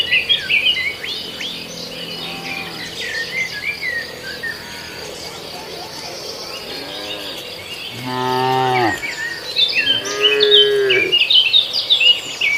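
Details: {'caption': "Grazing herd of cattle on a farmer's rice field: a faint low moo early, then two loud, full moos back to back near the end, with birds twittering and insects buzzing throughout."}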